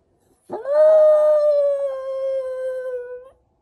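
A Shiba Inu lets out one sustained howl lasting nearly three seconds. The tone is clear and rich, starting with a brief rough onset, holding level, then dipping gently before it cuts off.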